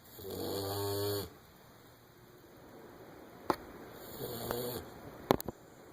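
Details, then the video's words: English springer spaniel puppy Winston, fast asleep, gives one loud, rasping snore, then a softer, fainter one, with a few sharp clicks and taps in the room around it. "Winston the snoring Springer"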